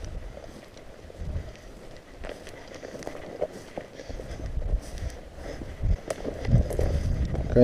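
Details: People talk outdoors in the countryside with footsteps and a passing vehicle, and no animal voice stands out.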